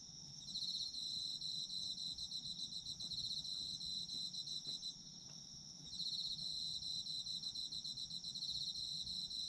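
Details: Autumn insects for soothing sleep listening: pulsed high ringing trills that fade around the fifth second, leaving a fainter buzz, then return strongly at six seconds and continue to the end.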